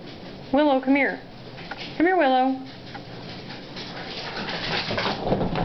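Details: Italian Greyhounds, pet dogs indoors, one of four that "sing" while waiting for their owner to come home from work. Two short, wavering howls: the first dips and rises, the second swoops up, then holds. Quiet room noise follows.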